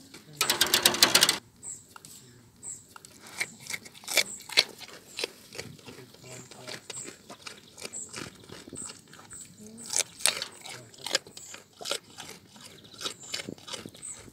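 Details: A young male roe deer in a park chews carrots he is fed, with crisp, irregular crunching and clicking bites.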